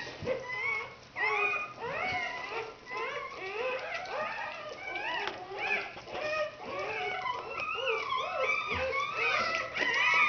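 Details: Newborn red Standard Poodle puppies during their birth in 2010, indoors: many overlapping high, arched squealing whines rising and falling in quick succession, with a soft human voice and rustling underneath.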